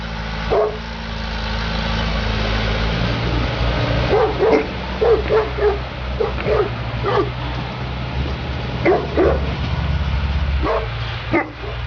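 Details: Neapolitan Mastiff Sofia at work, giving a burst of deep barks in quick succession midway, then another cluster of barks toward the end, over a constant low droning hum.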